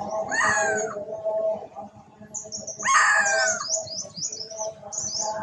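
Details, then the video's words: Duchess, a poorly mother monkey, crying loudly while looking for her daughter; two loud harmonic wailing cries fall in pitch, one near the start and one around three seconds, with high chirping birds in the background. "Poorly Monkey Duchess Crying Loudly, Why ?, A male kidnap her daughter or no?, She looking for her"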